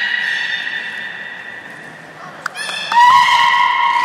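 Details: Belugas Gray, Nana and Nico at the Port of Nagoya Public Aquarium, 1 January 2019, during training after the 16:00 public session. A long steady harmonic tone fades, then a brief click and a brighter held tone rising slightly at the end.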